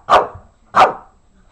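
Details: Shih Tzu barking on command while doing tricks to win his tennis ball: two short, sharp single barks about 0.7 seconds apart, indoors and quiet otherwise.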